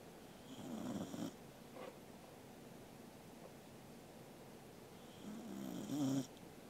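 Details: Angela, a sleeping Corgi, snores indoors on 13 August 2021: two raspy, droning breaths about four seconds apart, each lasting around a second, with quiet room hush between them.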